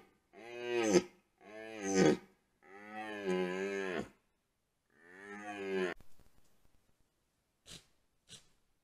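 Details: At a wallow in the rut, red deer stags roar, recorded by a trail camera. Four long, moaning bellows rich in harmonics follow one another over six seconds. They are followed by quiet clicks and rustling.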